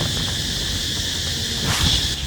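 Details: Crickets singing in the woods of Fort Canning Park, Singapore: a steady, bright high-pitched drone running throughout, with rustling and a brief scrape near the end.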